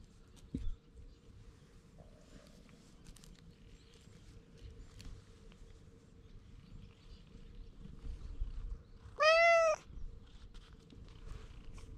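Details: Stray cat with an unusual coat pattern, outdoors, pleading in cat language before climbing onto a lap; one loud, clear, drawn-out meow near the end over a quiet background with a steady low hum and faint rustling.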